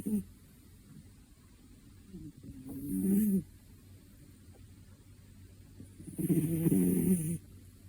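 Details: Asleep, a two-year-old cat snores in slow rhythm: two low, grating, throaty breaths about four seconds apart, each lasting around a second, with quiet steady background hum between them.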